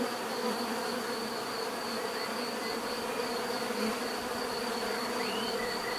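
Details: Natural buzzing of many bees, a layered constant hum with gentle swells, plus a quick rising chirp near the end and a steady high thin tone.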